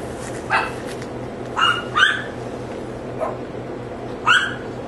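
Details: Neighbour's dogs giving sparse, high-pitched barks, single and paired yaps spaced irregularly about a second apart, above a constant low mechanical hum.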